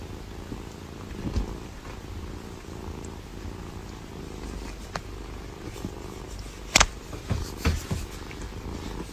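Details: A domestic cat purring: a quiet, steady low rumble that continues throughout, broken by a few sharp clicks and soft thumps near the end.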